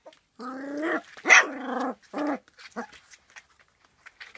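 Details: Three-week-old puppies from the J litter letting out loud, drawn-out whining cries, each lasting under a second, then a few shorter yelps and fading squeaks.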